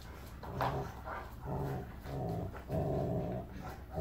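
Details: During play between the huge Rottweiler Zeus and Rottweiler puppy Kiya, a steady, throaty growl rolls on in long rumbling stretches, broken by short gaps and faint scuffles.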